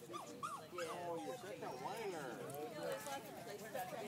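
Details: Several Schipperkes in a Los Angeles neighborhood in August 2012, giving a chorus of wavering, overlapping howls and yips that rise and fall in pitch, with people talking nearby.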